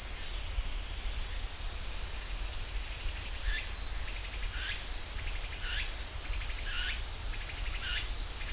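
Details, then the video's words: Cicadas singing in a pine forest at Ssanggyesa temple, Jirisan National Park: a steady, shrill high-pitched buzzing drone throughout, joined from about 3.5 seconds by short sweeping notes repeated roughly once a second. "지리산 쌍계사 소나무 숲 매미 소리"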